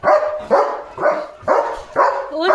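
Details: German Shepherd dog barking loudly after spotting another dog outside the gate; five strong, harsh barks spaced about half a second apart, each opening with a rising yelp-like onset.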